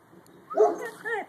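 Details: Purebred husky howling: a short tonal wail that swoops up then down, followed after a brief dip by a second, shorter wavering rise and fall, with clear harmonics and a quiet background.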